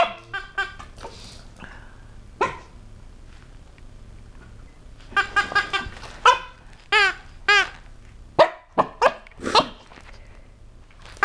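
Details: Seven-month-old Rocky, a small Chihuahua and Cocker Spaniel mix, barks at a motorized robot pet toy; scattered yappy barks, some in quick pairs, with quiet gaps and a little laughter.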